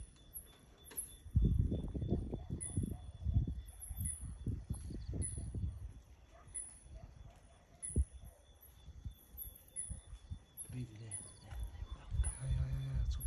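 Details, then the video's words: Leopard passing at night in front of a room at Talek Bush camp, sawing: a run of deep, rasping grunts from about 1.5 to 5 seconds, then fading, over steady high-pitched insect chirring. "Leopard Sawing at front of my room"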